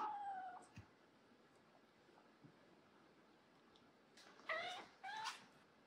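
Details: Rescued former stray kitten complaining to an older cat when meeting him for the first time; one drawn-out, falling meow opens the clip, then after a quiet stretch two short, strained, rising-falling meows follow in quick succession.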